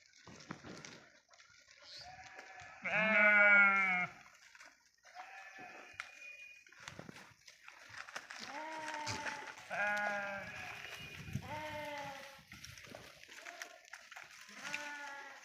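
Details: Grazing sheep in a forest; one loud, trembling bleat followed by a chorus of overlapping wavering bleats from several animals, some rising and falling, with faint human voices.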